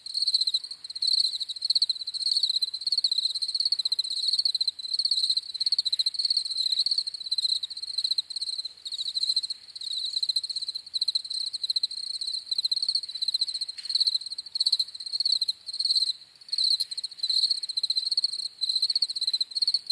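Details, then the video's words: Crickets chirping steadily: high, pulsed trills in short bursts, several overlapping insects forming a near-continuous shrill chorus with brief gaps, no other sounds. "CRICKETS CHIRPING SOUNDS"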